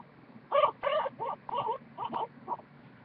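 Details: Goku, a large pet guinea pig about one and a half years old, purring: seven short, squeaky harmonic bursts in about two seconds, each a brief buzzy chirp, over a quiet indoor background.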